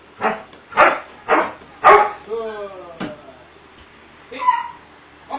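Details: Doberman Pinscher during obedience training: four sharp barks about half a second apart, then a drawn-out falling whine with clear overtones, a single later bark and a short higher yelp.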